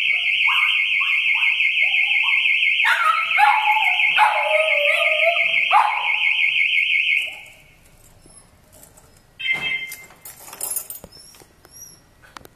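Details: Lilla, a miniature pinscher, answers her family's car alarm with wavering yowls and yelping barks that bend up and down beneath the loud pulsing whine of the alarm. The alarm then stops, leaving a few more yips and quiet household noise.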